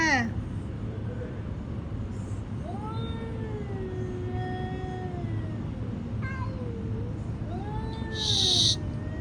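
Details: Domestic cat giving two long meows that rise and then slowly fall, with a person speaking Filipino nearby, calling it over and saying it just wants to eat, over a steady low hum.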